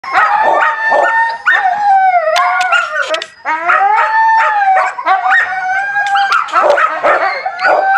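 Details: Husky puppies eating together, giving a dense overlapping chorus of high tonal whines and yelps that rise and fall, with short squeaky breaks between the drawn-out cries.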